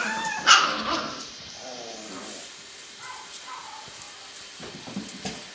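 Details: Alaskan Klee Kai puppies in a box give a sharp, high yip near the start, followed by softer whimpering and a few fainter squeaks, with rustling and low bumping throughout.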